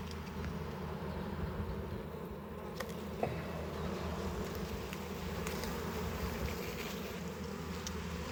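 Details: Steady low hum of many honey bees around a hive opened for honey harvest, with a couple of sharp clicks from handling frames.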